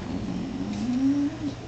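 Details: Dog howling in reaction to a phone's missed-call ringtone, one of two dogs, a hound and a poodle, that howl whenever a call is missed; a single low, steady tone rising slightly and held for about a second over room hum.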